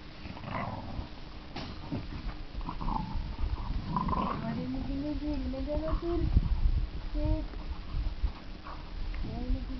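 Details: Staffordshire Bull Terrier puppy at seven weeks giving a drawn-out wavering whine that rises and falls, repeated in short rises, while a man talks in Norwegian.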